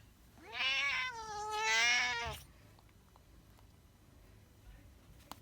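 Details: House cat uttering a long two-part meow, bending upward then settling, lasting about two seconds, followed by near silence with a faint click.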